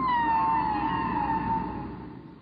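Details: Humpback whale (Megaptera novaeangliae), song.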